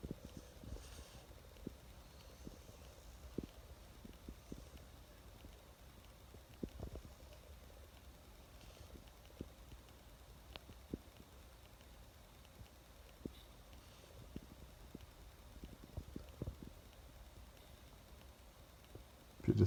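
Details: Cold French bulldog named Oleg, bundled in a blanket, with teeth clattering: faint sharp ticks repeated at irregular short intervals over a quiet room background, a few louder knocks at the end.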